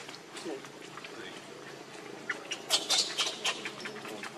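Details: Baby monkey Leo, very hungry, crying to beg its mother for milk: a quick cluster of thin, high-pitched squeals in the second half, over steady background chatter and murmuring voices.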